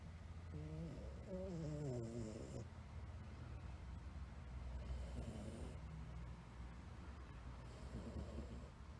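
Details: Snoring from a blue male Somali house cat while asleep: a drawn-out rattling breath with stepped, wavering tone early on, followed by softer, hoarse snores separated by quiet pauses, low hum in the background.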